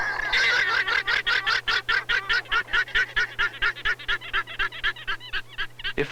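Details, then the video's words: Wild guanaco family group on Tierra del Fuego, Patagonia, giving an alarm call when danger appears, such as ranchers herding horses, sheep and cattle near the river boundary; rapid harsh pulsed calls, roughly three a second, over a steady low hum. "When danger appears, the guanacos give an alarm call."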